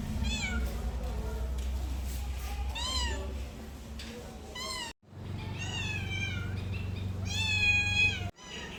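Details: Cat meowing insistently, loud arched cries in quick succession with brief abrupt cuts between bursts, the later calls longer and more strained, low hum underneath.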